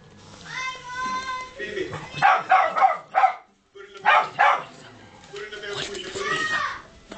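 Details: Rottweiler barking at a child as a danger warning. Short sharp barks come in quick clusters of three or four, with a pause between groups, and a person's voice is heard at the start and end.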